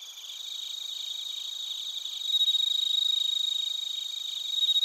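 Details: Chorus of bell crickets and crickets from Narita, Chiba, Japan, captured with a TASCAM Portacapture X8; close, loud, rapidly pulsed high chirping that grows stronger midway, over a continuous shimmering trill.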